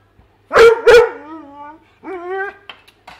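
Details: Weimaraner indoors, excited while trying to reach fish in a tank: two sharp loud barks sliding into a falling whine, then a second higher, steady whimper with short yips at the end; a woman talks to the dog nearby.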